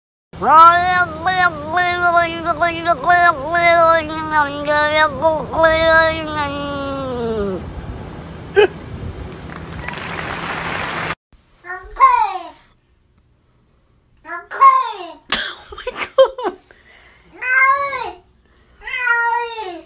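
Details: Cat producing long, wavering, drawn-out meows that rise and fall in pitch, continuing for about seven seconds, followed by a noisy burst, an abrupt cut, then a series of short, sharp meows separated by silences.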